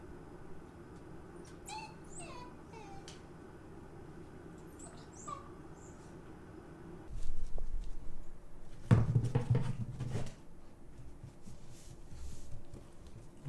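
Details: Female Shiba Inu Hachi crying while searching the house for her sister, who sleeps in a separate room; several high, thin whines slide downward over the first six seconds, followed by loud rustling, thumping and handling noise.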